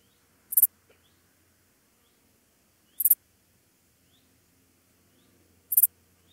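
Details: Meadow Dark Bush-cricket (Pholidoptera fallax) singing at Pfaffstätten, Austria, on 28 August 2021: very high, brief pulsed chirps of two or three quick ticks, repeated about every two and a half seconds, with near silence between.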